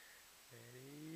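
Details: Pet Rat Terrier urged to sing, answering with a drawn-out, tonal howl that starts abruptly and slowly rises in pitch, rich in harmonics, over a quiet indoor background.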